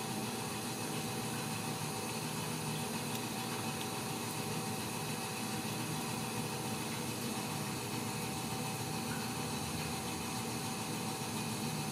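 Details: Constant pump-like mechanical hum and hiss run evenly through the whole stretch, with no animal voice heard.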